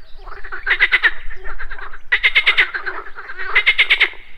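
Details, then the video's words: Morning pond frogs giving rapid pulsed croaks in three short bursts, each a rattling series of clicks with a faint tonal ring, loud and close over a low background hum. "MORNING FROG POND - Nature of Relaxation, Nature Sounds, Frogs Croaking, Pond Sounds"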